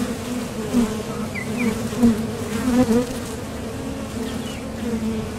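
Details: Steady hum of honeybees landing and leaving at the entrance of a top bar hive on nectar-gathering flights, with several louder passes close by and faint high whistled squeaks.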